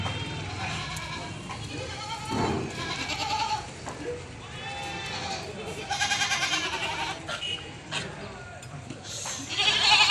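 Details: Several goats on a goat farm bleating in overlapping, wavering, nasal calls that rise and fall, with bursts every second or two, over a steady background hum and some voices.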